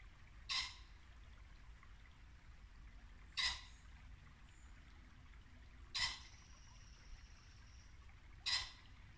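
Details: At dusk in late-winter Norfolk woodland, a muntjac gives four abrupt, rasping barks spaced roughly two and a half to three seconds apart. A thin high note follows one bark, and a brook trickles in the background.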